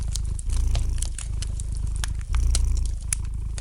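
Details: Domestic cat purring gently beside a fireplace, a deep low rumble that swells with each breath in pulses about two seconds apart, while light fire crackles and sharp pops snap throughout.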